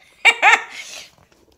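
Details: Molson, an 8-week-old tricolor Beagle puppy indoors, gives two sharp, high yips in quick succession, then a softer breathy trailing whine fades out.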